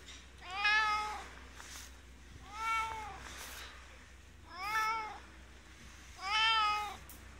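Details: Resident ski-shop cat Inskitty in Hirafu Village, Hokkaido, Japan, meows four times at roughly two-second intervals, each call arching up and down in pitch, clear above a faint indoor hum.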